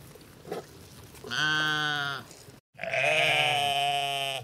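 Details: Two drawn-out sheep baas, the first steady and about a second long, the second louder and harsher, separated by a brief silent cut.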